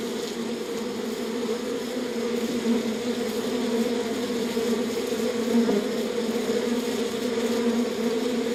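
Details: Honey bees in a beehive: a steady, dense droning hum with two strong low tones, continuous throughout with gentle swells in loudness and no other sounds.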